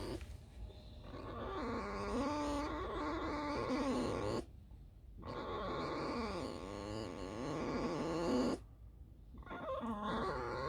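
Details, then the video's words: Female fox squeaking while resting after a night spent roaming alone and digging holes; long bursts of warbling, wobbling squeaky whines broken by two clear silent pauses, ending with a short squeak. "лиса. Просто скрип"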